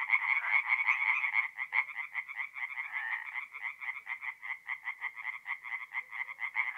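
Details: Tree frogs singing by night at a forest pond in north-east Italy, mid April; rhythmic pulsed croaks, roughly two to three per second, swelling and fading over a steady background of more distant callers.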